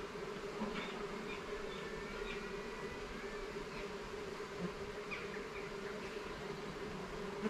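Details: Garden beehive opened for inspection, its honey bees giving a continuous, even buzz with a strong mid-pitched drone and a lower undertone, plus scattered soft ticks and short high chirps over the top.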